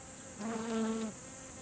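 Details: Honeybee buzzing in a garden while visiting blooming kumquat flowers for nectar. A single low, steady hum swells and fades in under a second, with a high constant hiss behind it.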